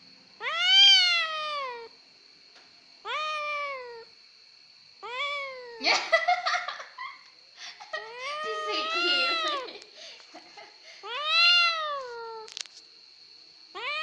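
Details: Indoor cat crying repeatedly in long, drooping meows, with a burst of human talk breaking in midway and overlapping one cry; a thin constant whine sits underneath.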